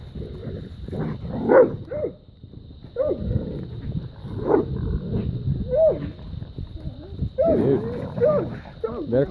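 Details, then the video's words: Dogs baying at a raccoon they have treed after a fight; a dense mix of rough barks and yodelling howls with overlapping calls, while a man's voice urges the animal to climb higher. "Dogs fight coon and tree him"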